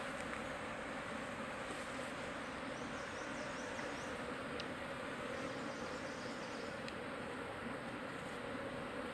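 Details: Wild honey bee swarm being caught by hand from a tree hole in the Timang jungle, Manang district, Annapurna region, Nepal: a dense, steady, low humming drone of many bees, unbroken throughout, with faint scattered clicks above.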